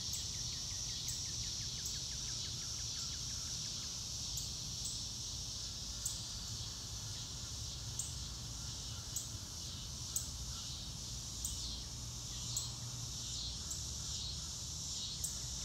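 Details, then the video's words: Crickets outdoors among grass on a clear blue-sky day, recorded in real time: a steady, high-pitched shimmering chorus, soft ticking pulses at regular intervals, a brief run of rapid pulsed notes early on, and low rumbling background noise. "Nature Sounds - Real Time - No Music - Meditation - Crickets"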